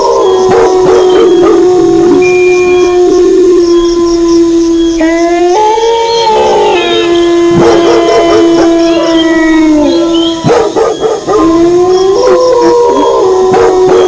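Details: Wolves howl in a sustained chorus with dogs barking. Long overlapping howls hold steady at a low pitch, with sudden rising sweeps and higher wavering voices. Scattered sharp barks come through repeatedly.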